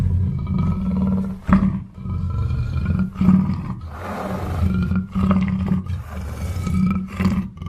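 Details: Deep growling roars from a black panther come in uneven surges, with brief sharp breaths between them and a constant low drone and high tonal whine running underneath.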